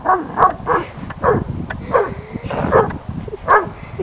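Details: A male Weimaraner at a local park, unsure about a stunt kite, barks in short sharp bursts, about eight barks in four seconds at an uneven pace, with faint background rumble.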